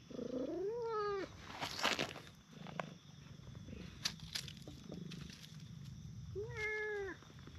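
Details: A brown tabby and a tortoiseshell stray cat take turns being petted on a bench in a park. A rising-then-falling meow opens the recording, followed about five seconds later by a second, shorter meow, with light handling noises between.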